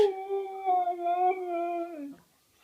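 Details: Siberian Husky. A Siberian Husky holds a sustained, mellow howl for about two seconds, its pitch wavering a little and sliding down at the end. The room is otherwise quiet.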